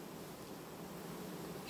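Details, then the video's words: Bees of a honey bee family changing their queen quietly in August 2019 produce a continuous low, even drone of massed wingbeats, slightly swelling at the very end, with a faint brief higher tone. "Matca schimb linistit 2019, familie ce asi schimba matca , albinele in august"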